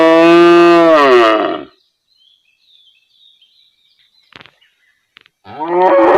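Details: Real cow from a village area lets out a loud, deep moo that fades after under two seconds, then faint bird chirps and small clicks fill a quiet stretch before another moo begins.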